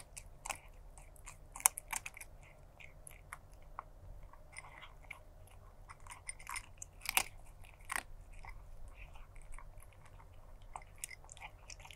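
Crunching and chewing sounds of food being eaten close up, with no animal calls heard.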